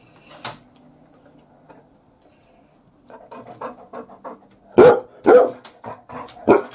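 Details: Labrador Retriever on watch duty, guarding the home from the bath: quiet grumbling and soft woofs build into three loud, sharp barks near the end, all indoors.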